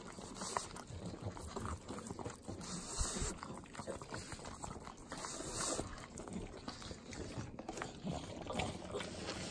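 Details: Butter being eaten by three pugs in Southern California's Inland Empire: dense, wet slurping and tongue-smacking, steady and rhythmic, with brief hissy breaths between licks.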